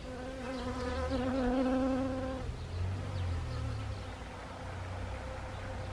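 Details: Honeybee close by at Siberian chrysanthemum blossoms, autumn, Gangwon Province, Korea, 1 October 2020; a loud, rich buzz with stacked harmonics for about two seconds, then a softer distant hum of other bees.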